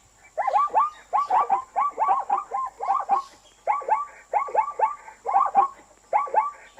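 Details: Zebra calling in a fast run of yelping, bark-like notes, each sliding up then down, grouped in short bursts with brief pauses; a steady faint high electronic whine runs throughout.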